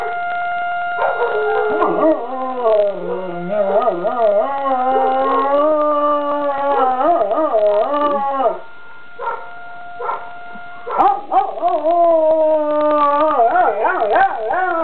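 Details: Puppy Avalanche howls along with a neighboring school's siren: long, wobbling, warbled howls that swing up and down in pitch, a short pause near nine seconds, then renewed rising howls over the siren's steady tone.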